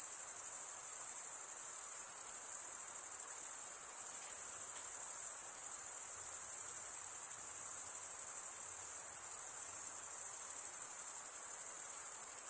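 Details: Male crickets stridulating, wing scraped across the comb-like teeth of the other wing. A continuous shrill, high trill with a slight flickering pulse runs evenly the whole time over a quiet background.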